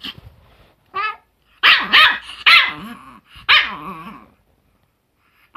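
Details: Chihuahua in June 2018 letting out harsh, high barks blended with rough growling, several bursts in close succession, then a pause and one last short bark.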